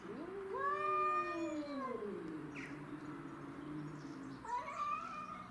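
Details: Territorial standoff between domestic shorthair cats, Tom and Mimi, and a grey and white stray from the neighbourhood: a rising then slowly falling drawn-out howl, a second overlapping moan, a short pause, then a fresh rising yowl.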